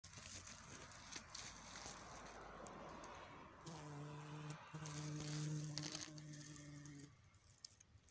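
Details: Buff-tailed bumblebee queen in Switzerland coming out of hibernation: a steady low droning buzz with harmonic bands starts midway, briefly dips, then runs on for about three seconds before stopping, over rustling and crinkling sounds.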